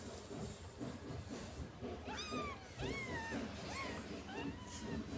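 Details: Cat being cleaned in a cardboard box so it won't have fleas; thin, high, arching mews rise then fall, about four in quick succession, over rustling handling noise and soft background talk.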